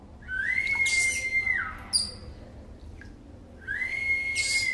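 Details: Baby pygmy marmoset calling while being brushed: two sustained high whistles, each rising then held level and dropping off, separated by brief chirps, with soft background noise.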